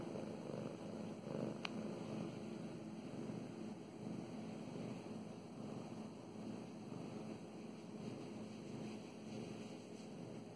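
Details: Mow Mows, a female house cat, purrs steadily while being stroked; continuous low vibrating rumble with gentle cycles of breathing, a single sharp click near the start and soft rubbing noises.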